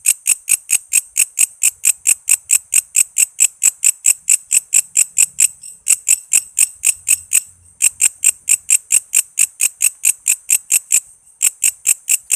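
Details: Walang kece cicada calling busily, recorded as tutor sound for shamas, lovebirds, leafbirds, magpie-robins and other songbirds; sharp high-pitched ticking chirps about three per second in a steady run, with a short pause near the end.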